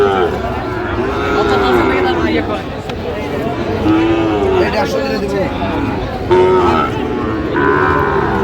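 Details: Sahiwal bull for sale at a Narayanganj cattle market on 30 January, lowing several times with deep, rounded moos spaced a few seconds apart, partly masked by men's haggling voices and the hum of the crowd.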